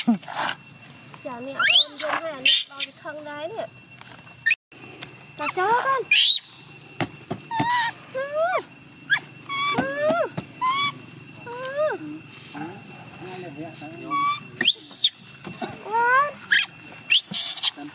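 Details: Young chimpanzee Gina wailing so her carer will stay instead of going home: wavering, pitch-bending whimpers that rise and fall, broken by sharp high shrieks. A faint steady hum sits underneath.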